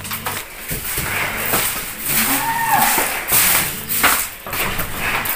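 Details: Cattle, a 1.2-tonne animal being shipped from Java to Lembang, Bandung: a low, drawn-out harmonic moo of about a second near the middle, with people talking and steady background noise throughout.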